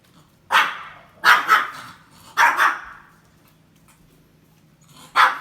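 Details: A Pomeranian that has barked a lot for years, despite its owner's attempts to stop it. Sharp, bright barks come singly and in quick pairs, with six barks across the stretch and a longer pause before the last one.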